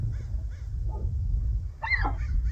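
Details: Several Tule elk (Cervus canadensis nannodes), including a collared cow, give short, harsh alarm barks one after another over low wind, alarmed as a biologist approaches the herd on a hillside above the creek feeding Anderson Lake, calves gathered at the back.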